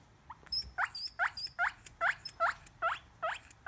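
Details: Guinea pig giving a quick series of short squeaks with a rising hook, about eight in under four seconds, fairly evenly spaced, in a quiet indoor setting.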